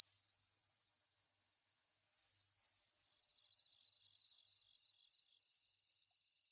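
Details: Svistella bifasciata cricket singing from dawn into the morning: a gentle high silvery trill held for over three seconds with a brief break, then shifting to spaced soft chirps repeated a few times each second after a short pause.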